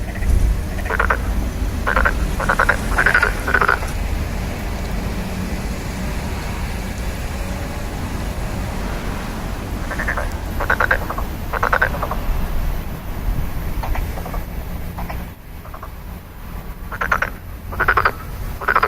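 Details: Frogs calling in bursts of short pulsed croaks, several notes close together, then pauses of a few seconds before the next burst; a steady low rumble of road traffic runs underneath.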